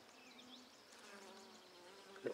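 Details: Buckfast honey bees humming at an opened handmade hive during a brood inspection on 23 May 2009, a steady low droning hum with layered tones, light bird chirps above, and a brief knock near the end.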